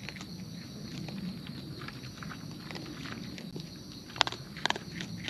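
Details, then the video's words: Raccoons in the wild chewing food at close range. Quick irregular crunches and ticks run over a low muffled rumble, with a few sharper louder snaps near the end. "Wild Raccoons & ASMR Chewing Sounds"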